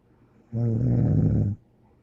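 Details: Snoring of a pet named Angel Bear indoors; one steady, low, rumbling snore lasting about a second, with a buzzy, rattling tone, then quiet.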